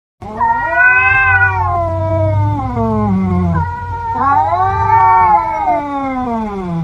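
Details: Domestic cats fighting while one keeps eating its food: long drawn-out yowling growls, each wavering then sliding downward, two extended wails with a brief break between, over a steady low rumble.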